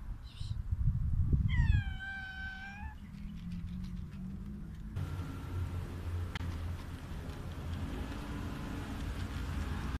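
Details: Hungry street cat meowing loudly: one drawn-out, falling meow with strong harmonics in the opening seconds, followed by low rumbling traffic-like noise for the rest.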